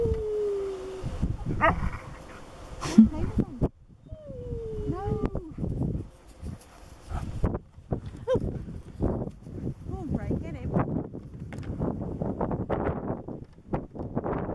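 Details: Husky Nook talking to companion dog Brea, asking him to play while lying on cool soft grass; drawn-out wavering whines and howl-like yowls bend up and down, then a run of short grumbles and yips.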